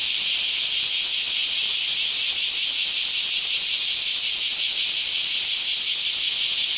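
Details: Akashi, Japan, park chorus of bear cicadas during a mass emergence: intense high-pitched grinding drone with quick rhythmic throbs, about three per second, and no other sounds.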